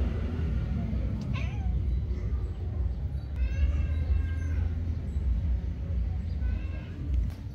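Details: An angry kitten chasing after a cat: three short meows with harmonics, near the start, the middle and the end, the middle one longest and wavering, over a steady low rumble of background noise.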